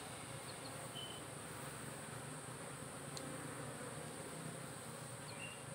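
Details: Honey bees in a modern managed hive, where colony health is tracked with a smartphone-linked monitoring system, give a steady low droning hum with layered harmonics, faint high ticks and clicks throughout.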